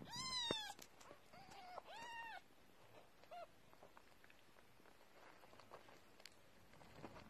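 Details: Kittens of a domesticated stray cat, hungry and drinking milk while the mother feeds them: two clear high mewing calls in the first two seconds, a short faint mew later, then quiet rustling.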